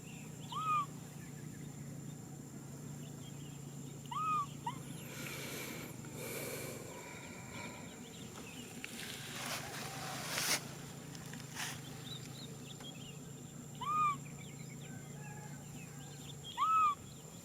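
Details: Baby macaque Nui Simon crying out for a hug: short arched, tonal whimpers, each rising then falling, heard four times across the stretch with long pauses between, over a steady low hum and a few soft rustles.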